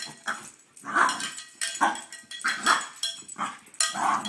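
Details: An excited French Bulldog, who goes crazy when the cow bell is brought out, gives rapid, yelping barks in quick bursts, roughly one every second.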